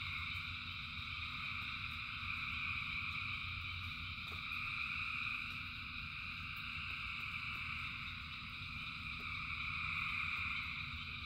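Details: Many frogs sing through rainfall, their calls merging into a constant high-pitched trilling hum in stacked bands, gently rising and falling in loudness above a low background rumble and sparse clicks.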